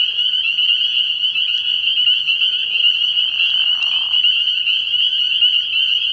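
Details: Night chorus of spring peepers at a frog pond in early spring, countless high piping notes overlapping into a steady shrill drone, a soft lower buzzy swell rising briefly partway through.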